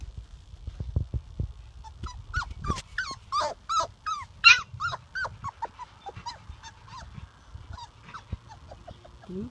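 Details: Labrador Retriever puppies 4½ weeks old: a burst of high, squeaky whines and yelps, each sliding up then down, about a dozen in quick uneven succession that trail off into softer squeaks, with low thumping handling noise.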